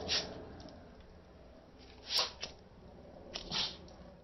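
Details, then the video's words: Pet dog sneezing when a lighter is pointed at him, indoors: several short breathy bursts of broadband noise, roughly three sneezes spread over four seconds in a quiet room. "Dog Sneezes with Lighter"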